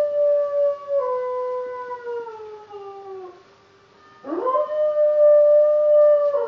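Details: A female Labrador Retriever 'singing' with howls: two long sustained tones slide slowly downward over about three seconds, a short quiet pause follows, then a rising wail levels off into a steady, held high note.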